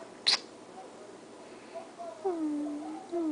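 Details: Snowshoe cat Muzz, a female, begging for food indoors while anticipating the can opening; a sharp click, then a drawn-out meow that falls and levels off, followed by a shorter second meow against quiet room noise.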